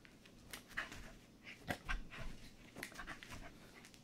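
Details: Corgi at play with a favourite squeaky chicken toy, panting in quick, irregular breathy puffs, roughly one each second, with soft rustling underneath.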